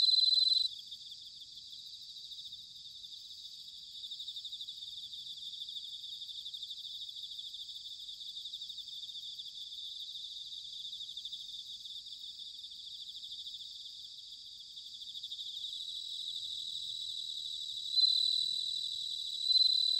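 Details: Autumn bell cricket song from Sanuki, Chiba, Japan: a constant shrill pulsed insect chorus, with clear ringing tones standing out at the very start and again near the end.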